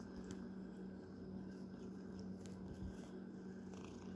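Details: Pet cat purring close up, a dense low rumbling drone holding steady throughout, with a few faint clicks and rustles on top.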